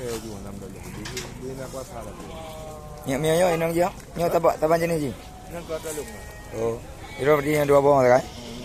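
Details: Goats offered for sale at Blangjrun, Aceh Utara, give loud quavering bleats with a wavering tremble, three main bursts about two seconds apart, over a background of music and faint voices.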